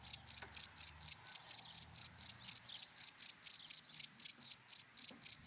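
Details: Daytime cricket in dry grass chirping continuously: about twenty evenly spaced, piercing high chirps, close to four each second, over a faint low background murmur.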